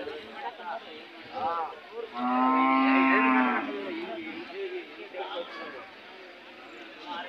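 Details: Hallikar cattle at the kg temple cattle fair market held every Monday in Gubbi taluk, Tumkur district, Karnataka, 8 July 2024: one loud, steady, drawn-out moo lasting about two seconds, with crowd chatter and voices around it.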